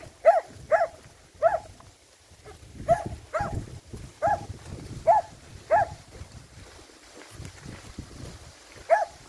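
A Finnish Lapphund barks repeatedly, short sharp mid-pitched yaps in an uneven series.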